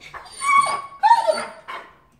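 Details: Dobermann excited to play with a miniature Spitz companion, giving a high, wavering whine that rises and falls in two or three drawn-out pulses over about two seconds.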